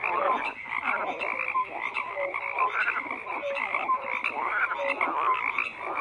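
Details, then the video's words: Chorus of croaking frogs, rough overlapping rattles joined by brief mid-pitched tonal blips repeated about twice a second, a steady dense texture without other sounds. "FROGS CROAKING"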